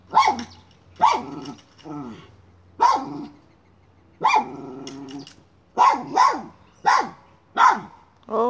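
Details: Miniature schnauzer barking while hunting a chipmunk in a pipe; loud, abrupt barks roughly every second, some with whining, yelping tails, over a faint low hum.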